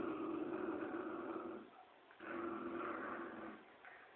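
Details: Dogs, a Poodle and a Dobermann, playing tug of war: a steady rumbling growl holds for about a second and a half, breaks briefly, then resumes with a similar long throaty growl in an indoor room.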